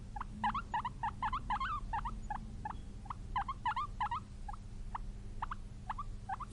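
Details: Guinea pig, a pet, giving a fast series of short squeaks, brief rising-falling chirps about three per second with harmonics stacked above, some paired or in quick clusters, over a low steady hum.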